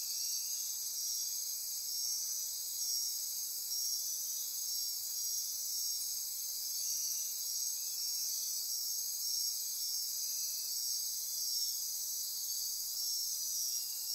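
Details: Dense nocturnal insect chorus at midnight in Costa Rican rainforest near Corcovado National Park on the Osa Peninsula; steady high shimmering trills and pulsing buzzes layered continuously, with short repeated bright notes above, no other clear sounds.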